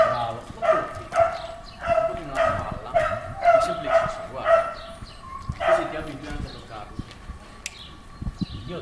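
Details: Unmanageable German Shepherd during its second training lesson: a run of sharp, tonal barks about every half second, then a pause and a single further bark, with a man's voice speaking Italian over and between them.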